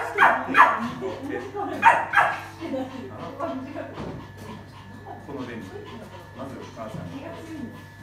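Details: Poodle with a bossy, queen-like temperament and a biting problem, under training: two bursts of sharp, loud barks in the first two seconds, followed by steady human talking with no further barking.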